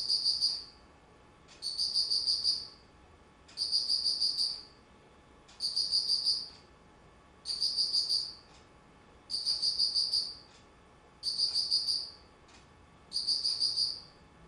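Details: Autumn insect song from 19 September 2009, a steady run of eight high, buzzy pulse trains, each about a second long, repeating at an even pace of roughly two seconds against a hushed background.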